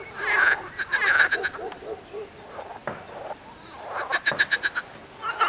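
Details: Several frogs croak together, giving short nasal pulses and quick rattling series of four to six beats, with brief lulls between bursts of calling.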